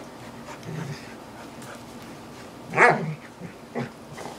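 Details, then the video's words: Two dogs at play, a visiting English Sheepdog and a chocolate Labrador Retriever: one sharp, loud bark bursts out after a quiet stretch, then a shorter, softer yelp follows, over low background rumble. "Crazy dogs playing"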